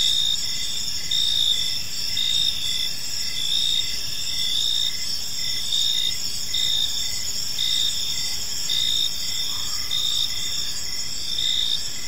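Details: Evening chorus of crickets in a peaceful park, several insects trilling continuously at a high pitch while a lower chirp pulses in an uneven rhythm, about fifty chirps a minute.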